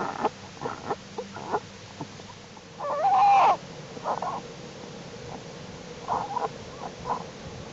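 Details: Black bear cubs in Jewel's winter den, January 31, 2012, active in unusually warm temperatures; one loud, tonal, quavering squall lasting about half a second, surrounded by softer short grunts and shuffling.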